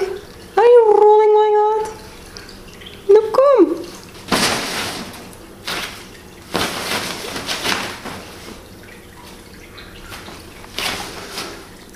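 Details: James, a young F2 Savannah cat around 3.5 months old, playing with his Bengal sister at home: two clear tonal meows, the first held steady for about a second, followed by splashy water bursts and a person talking.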